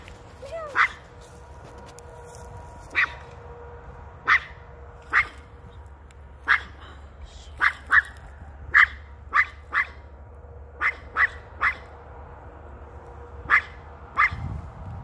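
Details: A female dog barks at something a man holds in his hand. Sharp, short barks come in irregular bursts, about sixteen in fifteen seconds, some in quick pairs, over a steady low hum.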